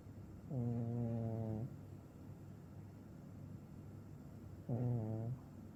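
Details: Deeply asleep Maine Coon cat that often snores lately, letting out two low, buzzing, drawn-out snores, the first about a second long and the second shorter, separated by quiet breathing.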